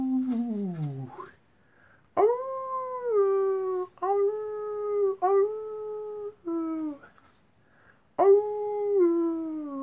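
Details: Nighttime wolf howls in a series of sustained tonal notes, some sliding downward, broken by short pauses and overlapping onsets suggesting several voices; a steeply falling howl opens the sequence.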